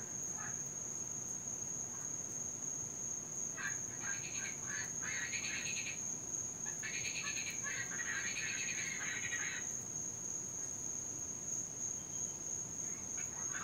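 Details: Noisy Cuban tree frogs, an invasive species in Florida that calls all night, especially during rain: a few quiet rasps, then a loud burst of harsh, bright grating notes lasting about six seconds, then quieter again, over a steady high whine.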